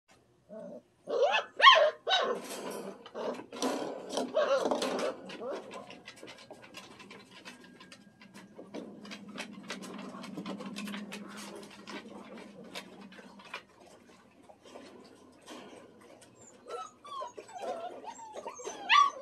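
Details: Wet male Standard Poodle puppies after their bath, on a day of firsts: away from the whelping box, in a play pen and outdoors. High whines open and close the stretch, with scuffling and rustling between.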